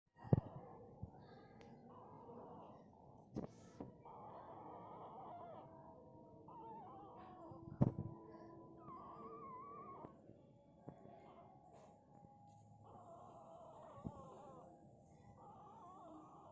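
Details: A nursing Indian Spitz puppy gives thin, drawn-out squeaks and whines while breastfeeding, broken by a few sharp taps.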